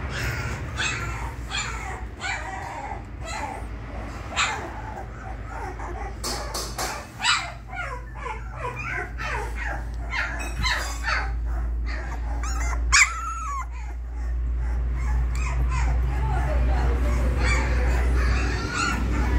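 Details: Twenty-day-old female Labrador Retriever puppies, three of them, make scattered squeaky yips and whimpers in quick bursts, mixed with clicks and scuffling over a constant low rumble that grows louder toward the end.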